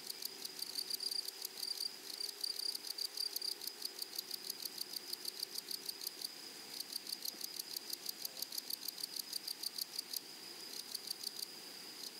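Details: Grasshoppers in a flowery meadow, a steady high insect chorus: a continuous band of sound with rapid pulsed rasping repeated several times per second on top, going on without pause throughout.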